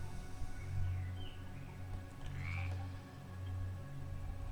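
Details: Toads croaking in the background from a field not far from the home, while a sparrow pecks seeds on a balcony; deep low throbbing croaks recur roughly once a second, with a brief higher chirp partway through.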